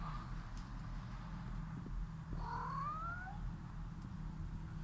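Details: Russian Blue cat in Portugal gives a single drawn-out meow lasting about a second, sliding steadily upward in pitch, over a low steady hum with faint room noise.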